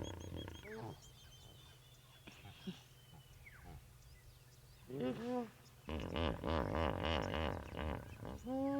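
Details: Hippos on an African safari trade deep, pulsing wheeze-honks in rapid rhythmic bursts, calling back and forth as they communicate with one another.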